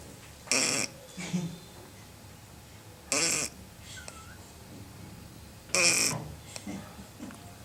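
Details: Lili, a female Lhasa Apso puppy, sleeping peacefully and snoring: three short raspy, wheezy snorts about every two and a half seconds, each with a softer tail, in a quiet room.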